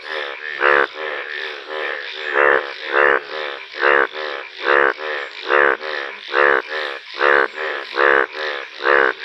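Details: Indian bullfrog, a rare yellow-coloured frog, gives a steady run of a dozen harsh, bleating croaks in nine seconds, each a short rasping honk spaced about once per second, strong and close.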